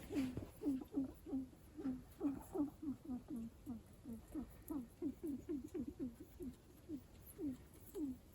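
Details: A guinea pig known for its unusual calls gives a steady string of low, short, downward-sliding squeaks, several each second.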